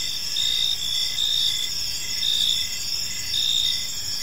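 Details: Evening cricket chorus in a peaceful park, a dense high-pitched ringing trill that rises in louder bursts every second or so, continuous throughout, with faint low rumble underneath.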